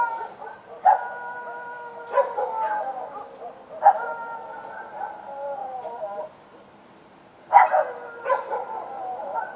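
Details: Night-time street dogs: three barks spaced a couple of seconds apart, each stretching into a steady, slightly sliding howl. A short silence follows before a final loud bark and a second yap.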